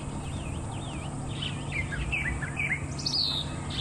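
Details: Dwarf mongooses give sharp, high chirping alarm calls in quick wavering bursts from the base of a thicket by a drainage line, heard close by during a morning safari drive in Sabi Sands, over a low engine rumble.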